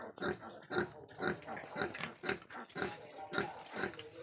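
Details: Rhythmic grunting from a crossbred wild boar. Clipped, gruff grunts repeat about every half second in an even, pulsing series, and no other sounds are clear.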